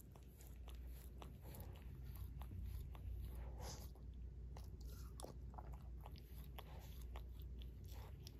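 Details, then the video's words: Barry, a Shorkie dog adopted into a family two years ago, licks his paw: a steady run of soft, wet clicking smacks, roughly two per second, close-up and quiet, with no talking. "Barry Licks His Paw ASMR DOG LICKING"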